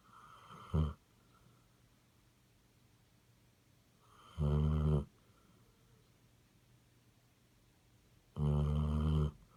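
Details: Basset Hound snoring loudly indoors: three harsh, nasal, honking snores, the first short and the next two about a second long, spaced roughly four seconds apart, with quiet breathing between.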